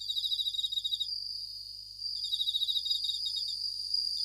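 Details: Japanese bell crickets (suzumushi) singing at night: short bursts of rapid, high, ringing pulses, about three trains in the first second, then a pause and renewed bursts, over a steady high-pitched continuous insect drone.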